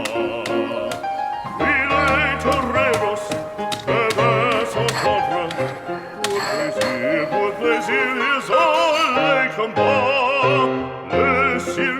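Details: Upbeat song with a lively sung vocal over strong rhythmic accompaniment; only music is heard, with no animal sound.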